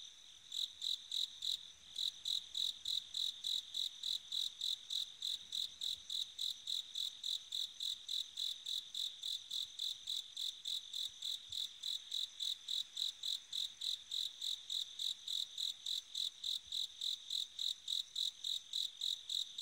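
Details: Long run of bell cricket song on an autumn night: after a brief gap near the start, a steady, rapid series of high, bell-like pulses, about three and a half per second, continuing unbroken for nearly twenty seconds.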